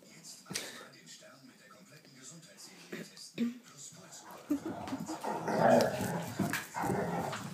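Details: Two Vizslas, Wanda aged three and Schröder aged eight, from Leipzig, play-fighting indoors in a living room on a bad-weather day; low rough growls and whines build in the second half, with people talking over them.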